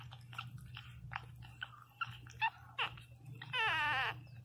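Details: Newborn Pinscher puppy crying very loudly: a run of soft short squeaks and snuffles, then a louder, sustained, wavering high whine at the end.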